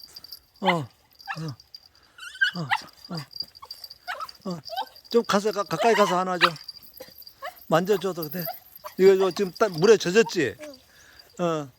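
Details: Weaned puppy, raised two months in an apartment and then given to an acquaintance, excitedly greeting its former family one month later: a run of high, wavering whines and yelps in uneven bursts, with people talking over it.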